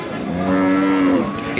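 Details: A cow at the Nandail Chowrasta cattle market on 17 July 2025, among Sahiwal, Friesian and local cattle for sale; a single low, steady, drawn-out moo of under a second over market background noise.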